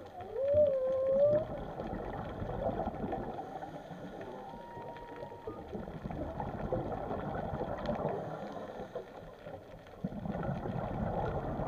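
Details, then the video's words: Whale heard undersea giving a short wavering tonal moan near the start, followed by a faint thin whistle and long stretches of low rushing, gurgling water noise. "WHALES SOUNDS"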